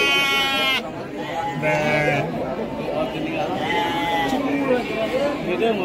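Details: Garut sheep breeding stock at Pasar Andir livestock market, Bayongbong, Garut: one loud, harmonically rich bleat lasting under a second opens, then men talk over busy market chatter while softer wavering bleats rise from other sheep nearby.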